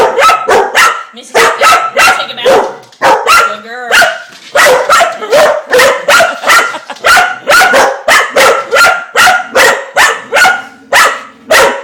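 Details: Mississippi, a household dog fascinated by the turning dishwasher spinner, keeps up a long, steady volley of loud, high, clipped barks, about two per second, with a brief whine near the four-second mark.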